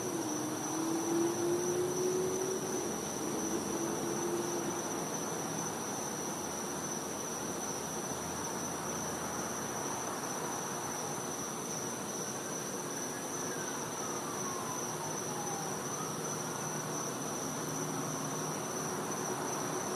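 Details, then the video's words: Cicadas in a Florida back yard on a winter night hold one steady, shrill, high tone throughout. Brief gliding tonal sounds drift in from the background, and a soft broadband hiss runs underneath. "Cicada Sounds | Florida | Night"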